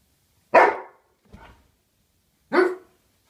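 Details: A female Bernese Mountain Dog in a barking match with her owner gives two loud, deep, abrupt barks about two seconds apart.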